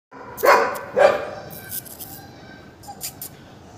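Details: Male German Shepherd puppy, offered for sale in Gurugram, gives two short sharp barks close together near the start, followed by quieter faint yips and background noise.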